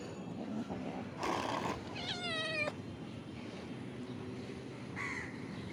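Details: Hungry pet cats eating fish. A brief burst of rustling comes before one short, wavering meow that slides downward, then a faint, softer mew follows a few seconds later over steady background noise.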